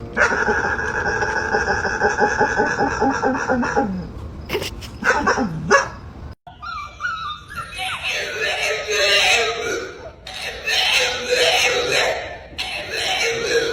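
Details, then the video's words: Pet dog making strange, drawn-out whining noises, apparently complaining to its owner; a steady tonal whine lasts about four seconds, followed by a few short yips and then a person speaking, asking what is wrong. "The dog made strange noises"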